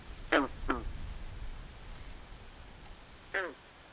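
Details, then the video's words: Frog calling at night in a swamp: two short, harsh, quacking croaks close together, then one more after a long pause, over faint low background hiss. "Natural Ambient Sounds Of Frogs At Night"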